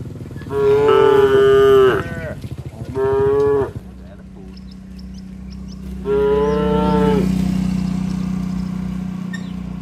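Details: Moos from a tame cattle herd heading home along a rural road with the herder: three loud harmonic calls, two close together then a third after a pause, with a low engine-like hum underneath.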